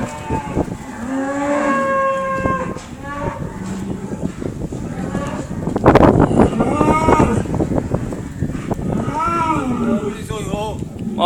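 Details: Cow mooing near a Rhodesian Ridgeback: a run of drawn-out, tonal moos, some bending up then down in pitch, with a rough noisy burst midway and more wavering moos near the end.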